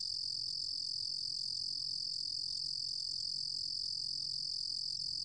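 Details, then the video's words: A 루루곰귀뚜라미 cricket from a 2020 Korean National Institute of Biological Resources recording keeps up a continuous, very regular high-pitched trill with no breaks, over faint low background noise. "루루곰귀뚜라미, 1번 듣기, 곤충소리"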